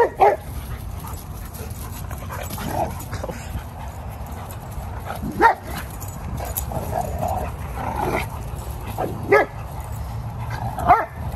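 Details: Two 11-month-old Dogo Argentino brothers at a park. Short, sharp barks ring out singly several seconds apart, at roughly 0.2, 5.4, 9.3 and 11 seconds, over a steady low outdoor rumble.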